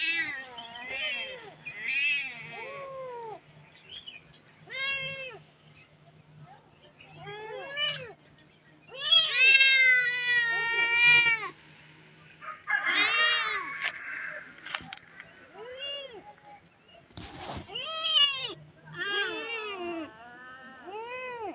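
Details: Abandoned street kittens crying in distress for their dead mother: several voices give arched, wavering meows, some short and some drawn out, with a few rougher growl-like cries, over a faint steady low hum.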